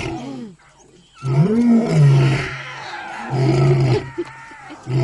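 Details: Lion cubs attempting to roar like their father: low, strained roaring bursts with a steady hum near the bottom, one rising cry early on, and faint voices in the background.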